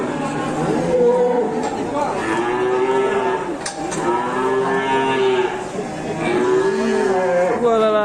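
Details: Cattle being unloaded, a large animal with big legs, give repeated deep harmonic moos that rise and fall, several long bellows overlapping across the stretch, with background chatter.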